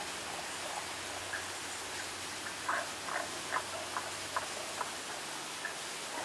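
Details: Tago's brown frog calling, only its voice heard: short low croaking notes repeated irregularly about every half second, faint against steady background hiss.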